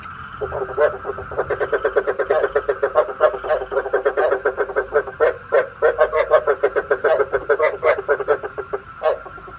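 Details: Frog calls used as a lure for night trapping with a bagua trap: dense, rapid trains of short croaking pulses running almost nonstop for about eight seconds, over a steady faint electronic tone.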